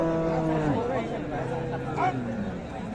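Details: At Raniganj livestock market, Dinajpur, Bangladesh, on a Monday market day, 7 April 2025, a cow gives a short moo that drops at its end, followed by busy market chatter and background voices.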